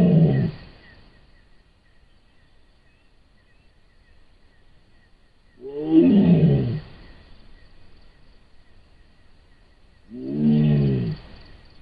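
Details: Camera trap recording of a wild Sumatran tiger in Sumatra giving three deep, throaty roars about five seconds apart, each under a second and sliding downward, over a faint steady background hum.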